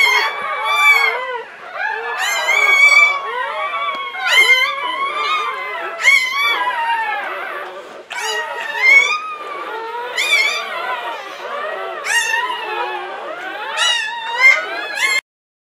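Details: Latte, a female English Springer Spaniel, giving birth in 2013 to Licorice, the seventh puppy of a litter of nine: high, wavering whines and yelps in repeated bursts, each bending up and down in pitch, with brief soft human speech.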